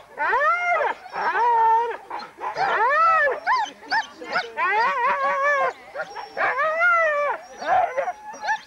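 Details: Huskies at a sled dog race weekend in the Forest of Dean, England, November 2001, from an old VHS tape: a chorus of excited arched howls and yelps, rising then falling, overlapping in bursts with brief pauses.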